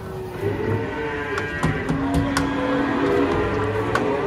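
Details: Cattle being unloaded from a truck give a drawn-out, steady low moo lasting over a second, set against a constant bed of music with brief clattering knocks.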